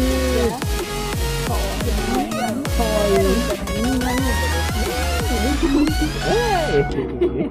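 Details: Electronic dance music with heavy bass and sliding synth tones plays throughout, with some voices mixed in.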